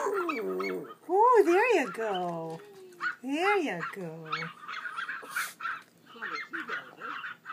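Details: Small Pomeranian dog howling in wavering, up-and-down warbles, several rising and falling howls in quick succession, then quieter; a person speaks softly in the background.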